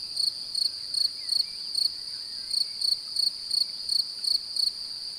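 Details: Male cricket singing to attract a mate while a female appears interested, song made by rubbing the wing covers together; high, ringing chirps pulsed about three times a second, with a brief pause near the middle.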